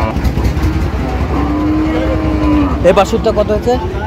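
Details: Cow at Ambari cattle market (হাট) in Dinajpur, Bangladesh, on 8 August 2025, where thin cows are being sold. One steady, drawn-out moo lasts about a second and a half over a low engine rumble, followed by men's voices and market chatter.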